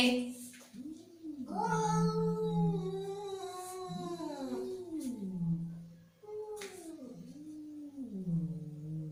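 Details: Angry domestic cat with repeated moaning yowls that swell upward and sag back down, three long arched cries over a steady low hum indoors.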